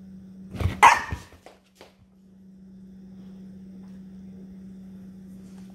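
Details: Six-year-old Yorkshire Terrier talking back after a bath: one short, harsh, grumbling bark burst near the start, then quiet with a steady low electrical hum in the background.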